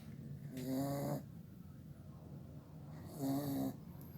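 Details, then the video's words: Sleeping young pit bull at home snoring heavily, two drawn-out buzzing inhalations roughly two and a half seconds apart, each lasting about half a second, with faint room hiss in the pauses. "Meu pitbull roncando"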